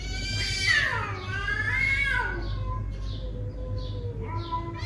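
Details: A neighbourhood cat in a confrontation gives loud, harmonic yowls that swoop up and then slide down, followed by a long low wavering moan. Steady rhythmic high chirping runs underneath, with a constant low rumble.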